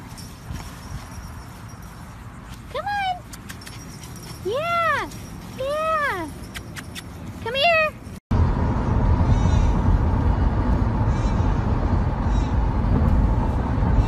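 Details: Pomsky puppies, a Husky and Pomeranian mix: a run of about five arched, tonal whining yelps between three and eight seconds, each rising then falling, followed by steady loud rumbling noise with no calls.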